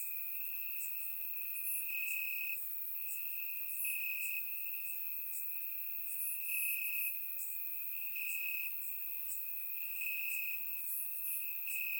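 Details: Night chorus of crickets in Bulgarian grass on a warm summer evening, recorded in surround sound; an unbroken shrill trill with rhythmic louder bursts and scattered very high chirps from more insects.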